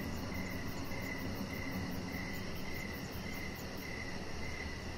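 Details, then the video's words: Evening crickets near a deck where a chihuahua puppy lies under decoration lights. Softer chirps recur steadily about twice a second, partly buried in a low rumbling background, with a faint high trill above. "Chihuahua Puppy Laying On Deck with Cricket Sounds"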